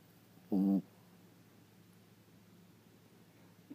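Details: Asleep indoors, the tiny 4-pound Chihuahua Sweetie gives one short, loud, rasping snore lasting under half a second, then quiet room hiss until a faint click at the end.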